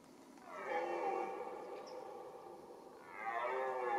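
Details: Red deer stag roaring during the rut, the mating season: a long, drawn-out harmonic bellow that rises then sags over about two seconds, followed by a second roar starting; quiet natural background.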